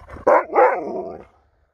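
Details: A male Alaskan Malamute, in wet weather, gives a short, harmonic 'woo-woo' that ends in a longer, wavering moan after being teased as a diva while demanding more chicken treats.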